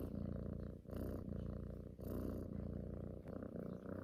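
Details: Domestic cat purring while cuddling, a female who loves to snuggle and suckle at a person's neck as if nursing from her mother, morning and night; steady low rumbling purr in long breaths, each phase lasting about a second with brief pauses.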